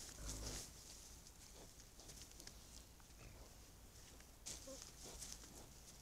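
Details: Wild boar (Sus scrofa) captured at night on a camera trap in thick fog give low, rough grunts and short snorts over a steady background hiss.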